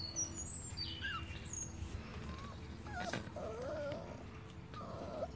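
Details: Rhodesian Ridgeback puppies of the A litter on day 31 give thin, wavering whimpers and short high squeaks, rising and falling in pitch. A steady low hum runs underneath, with faint bird twitter overhead.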